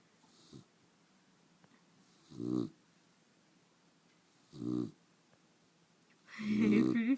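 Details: A pet dog snoring while awake: short, rough, low snorting breaths spaced about two seconds apart, ending in a longer, louder wheezing snore with a faint tonal whine on top.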